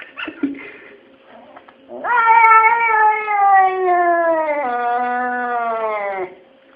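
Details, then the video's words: Two domestic cats 'talking' indoors: a few faint short sounds, then one sustained wailing meow of about four seconds. It holds steady and gently sinks in pitch, with a small step partway through. "Talking cats. Говорящие коты."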